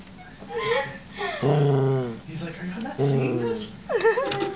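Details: A small Shorkie named Chewie, at home confronting a DVD player, gives long low growl-whines with a rich wavering tone, one after another, then a sharp high yip at the end, while a person murmurs nearby.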